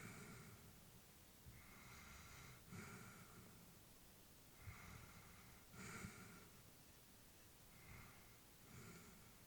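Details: Sleeping senior Labrador Retriever, female, breathing audibly at home: soft snorty, wheezing breaths roughly every few seconds, about twenty a minute, unevenly spaced, in a calm indoor setting.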